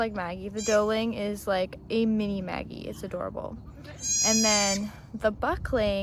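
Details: Maggie, a Nigerian Dwarf dairy doe, delivering twins in her first birth on a Northern California farm. Strained, quavering goat bleats mix with people talking, and one long, steady, bright bleat is held for nearly a second.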